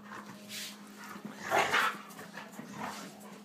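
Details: Male German Shorthaired Pointer playing with his toy. Short, breathy, noisy vocal bursts, with the loudest rough grunt-like burst near the middle. A steady low hum continues underneath.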